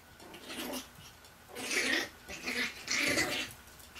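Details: Chihuahua puppies, 8 weeks old, two males and two females, exploring outdoors in Fredericksburg, Virginia; three breathy, noisy bursts of puppy sound, the first short and soft, then two louder ones about a second apart.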